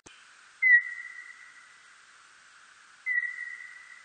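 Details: A birdlike noctule bat gives two long, steady whistled tones, about two and a half seconds apart; a 2020 recording from Korea's National Institute of Biological Resources.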